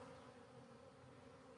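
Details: Colony of honey bees accepting a new caged queen kept alive with one attendant bee, giving a steady low hum with no sharp peaks.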